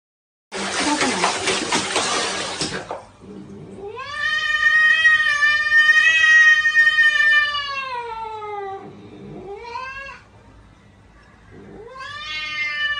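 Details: Domestic cat in a funny pet compilation, giving long drawn-out yowling meows rich in harmonics, one stretching about four seconds, then shorter rising meows; a harsh burst of noise opens the recording.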